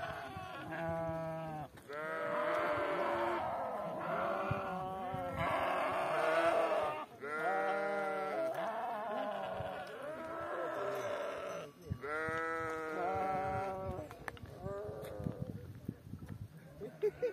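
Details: Flock of sheep at Spartias, Aetolia-Acarnania, calling in loud, quavering bleats about a second or two long, several voices overlapping, with brief pauses between bursts and quieter scattered calls near the end.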